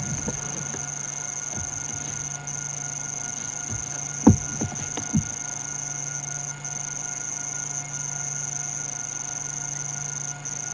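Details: At sunset at Djuma and Arathusa in wild Africa, with wild dogs nearby, cicadas hold a steady, high, piercing whine without a break over a low rumbling hum and a few soft knocks.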